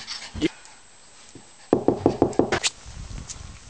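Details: Pet dogs playing around with their owner: a couple of isolated yelps, a short pause, then a quick burst of about six sharp, evenly spaced barks, followed by softer low grumbling noises.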